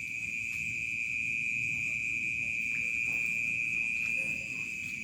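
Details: Evening crickets in a village as dusk falls. An unbroken, high-pitched trilling hum stays level and loud from start to finish over a soft low rumble.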